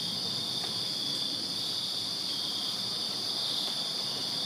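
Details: A backyard chorus of crickets on a Virginia summer night, a continuous shrill, pulsing drone of overlapping high trills, unbroken over the whole stretch, over a low murmur of distant noise.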